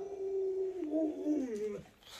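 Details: Alaskan Malamute named Lolo, a pet dog, giving a single drawn-out whining howl of almost two seconds. It holds one steady tone, then wavers and slides downward before breaking off, with a person's voice close by.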